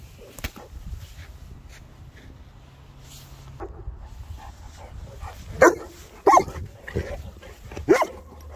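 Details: Boerboels, three South African mastiffs at play, give a run of quick, irregular barks in the second half after a quieter start with soft scuffling and low rumble.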